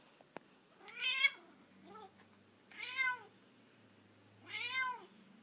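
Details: Domestic cat, female, indoors on a couch, meowing loudly on waking from sleep: three drawn-out, harmonic-rich meows rising then falling, about two seconds apart, with a shorter faint call between; quiet room, no other sounds.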